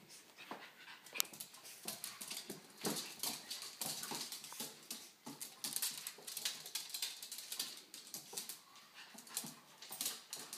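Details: Panting from pugs that are keeping watch over and playing with a baby: quick, uneven, breathy puffs and snorts continue throughout, soft and airy in the background.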